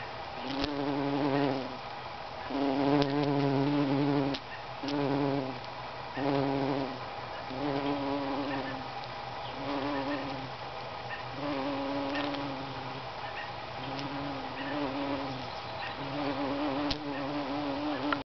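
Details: On a lupin flower a bumblebee buzzes in a deep harmonic drone, starting and stopping repeatedly in bursts of one to two seconds as it moves about the bloom, with faint birdsong and soft clicks around it.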